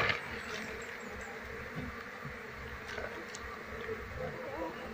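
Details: Asian honey bees of a wild Apis cerana colony, their queen already secured during relocation to a keeping box, produce a continuous low, even swarm drone, thick and unbroken, with a few thin high chirps in the background.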